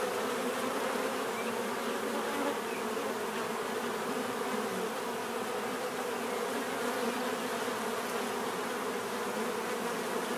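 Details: Many bees buzzing together in a continuous, even hum, a thick low drone that never breaks across the whole stretch, with nothing else standing out.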